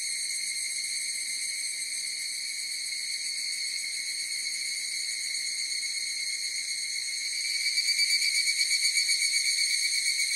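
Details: Higurashi cicadas calling together in a steady, piercing, high metallic whine; after about seven seconds the sound grows louder and takes on a rapid pulsing throb.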